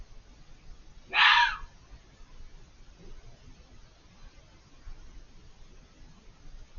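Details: Unseen fox screaming on the far side of a hedge, very vocal: a single short, hoarse, explosive scream early on, then quiet hiss of night background.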